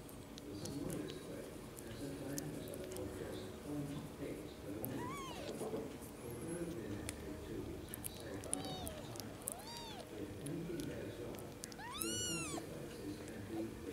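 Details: Several arched, high kitten mews, about five in quick succession with the last the loudest, from kittens that have just opened their eyes, over constant low background rumble.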